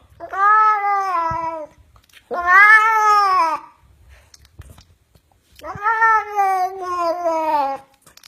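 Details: House cat nagging to be taken to the market: three long, whiny meows, each about one and a half to two seconds, arching up then sagging, with pauses of roughly a second between them in a quiet room.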